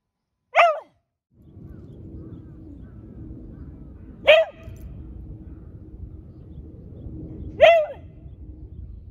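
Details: Beagle barking on command; three single sharp barks spaced about three to four seconds apart, over a low steady background hum.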